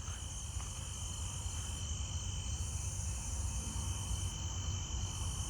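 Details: At night, a broad-winged tree cricket gives a steady, unbroken trill, close by, identified as lower pitched than the pine tree crickets also heard.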